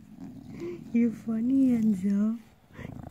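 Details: Bulldog having its belly rubbed, voicing low drawn-out moaning growls that waver and glide in pitch across about two seconds, with a short break partway, then fading to soft rough breathing.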